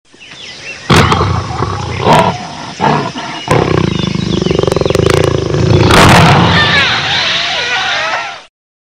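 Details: Jaguar giving loud, harsh, rasping calls: bursts of grunting sound, then a rapid run of coarse sawing pulses, ending in a noisy roar before fading out.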